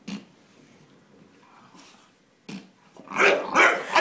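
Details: Terry the Bulldog, a pet that dislikes the fart sounds made by squeaky toys, lets out a faint early grunt, then a burst of loud, harsh barks in the final second; a person's voice is heard too.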